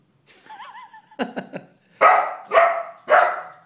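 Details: Calvin, a Golden Retriever puppy of four months, reacts indoors to a stuffed bear in the living room with a wavering high whine and short yips, then three loud, evenly spaced barks.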